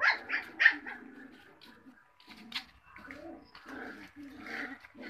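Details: Cocker Spaniel puppies making short yips and squeaky whines in irregular bursts, a few louder high calls at the start, then quieter grumbling, low growl-like sounds through the rest.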